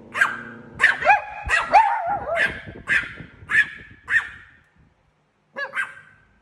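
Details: A Chihuahua barks at a cat, giving a run of sharp, high yappy barks, some with a whiny rising edge.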